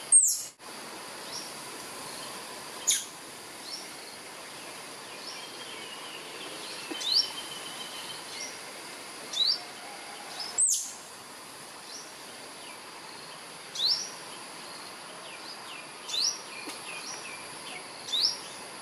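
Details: An albino squirrel in a ta-khop (Jamaica cherry) tree calls for a mate with short, piercing high chirps spaced two to four seconds apart, with softer quick chirps between them against constant outdoor hiss.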